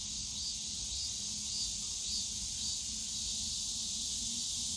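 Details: Cicadas calling on a summer day in the bamboo grove of Yongsan Family Park, a dense steady hiss-like buzz with faint pulsing, low park hum underneath.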